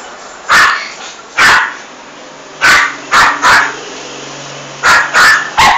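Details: Female toy poodle, aggressive, barking as she kills a big rat in a bathroom: eight short harsh barks, mostly single or paired, spaced unevenly over a few seconds against a low background hiss.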